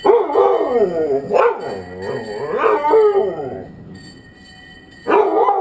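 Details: Snuffa the Dalmatian howls when the ice cream truck doesn't stop: wavering, harmonic-rich howls rising and falling in pitch, several drawn-out cries with brief pauses, a quiet stretch, then the howling resumes at the end.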